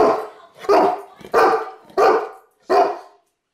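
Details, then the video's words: A 135-pound Saint Bernard barking: five deep, heavy barks, evenly spaced about two-thirds of a second apart, each a short broad burst with little else around it. "Saint-Bernard Barking"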